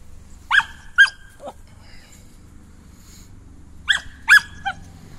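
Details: Female Samoyed dog, excited and running wild after grooming, gives two pairs of sharp high yipping barks separated by a quiet gap, with faint low household hum beneath.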